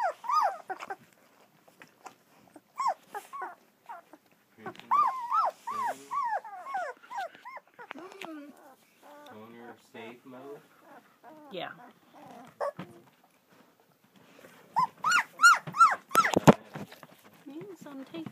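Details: German Shepherd puppies, two weeks old, in Florida at Vom Barron's Pride, whine and squeal in wavering, rising-and-falling cries, many overlapping, with a loud burst of yelps near the end and a person's voice nearby.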